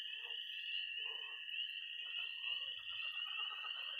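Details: Tree frogs, pond frogs and toads calling at night in early spring in Missouri. A high, unbroken peeping wall and a steady trill run throughout, while brief croaking bursts come and go beneath them.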